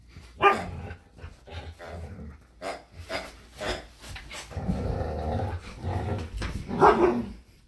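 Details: Two dogs, a Samoyed named Luma and a Keeshond named Zuko, tussle over a squeaky hedgehog toy in a yard. Sharp barks burst out at the start and near the end, with rumbling growls and scuffling in between.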